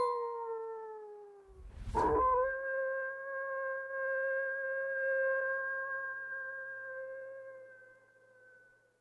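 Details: A coyote howls: a gently falling note, a brief thump, then one very long, steady howl lasting about seven seconds that slowly fades away.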